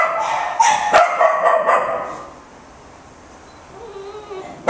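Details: Australian Shepherd up for adoption at a shelter lets out a quick run of bright, high barks in the first two seconds, then falls quiet apart from a soft whine and one final sharp bark.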